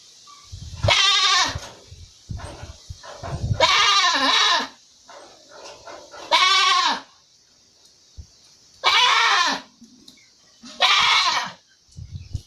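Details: Young goat kid lying in the sunshine: five loud, wavering bleats spaced about two seconds apart, each nasal and quavering, with soft shuffling and low thumps between calls.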